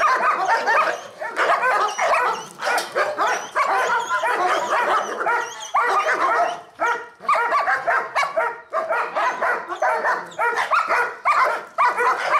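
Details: Dogs barking during an encounter between an aggressive four-month-old female Pit Bull puppy and adult dogs, including a four-year-old Dobermann and a three-year-old male Pit Bull; dense, rapid, harsh barks repeat almost continuously with brief pauses.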